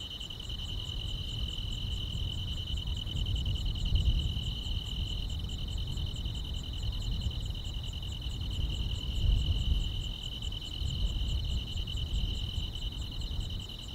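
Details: Grass insects trilling on a summer night in the countryside. Steady, high continuous buzzing is partly covered by a louder low rumble that swells and fades, with a few soft thumps.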